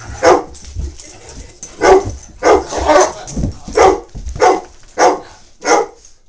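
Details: Great Dane puppy Lloyd, 21 months old and awaiting adoption, meets Tigger; steady barks sound roughly every half second to one second, around nine in all, with low rumbling between.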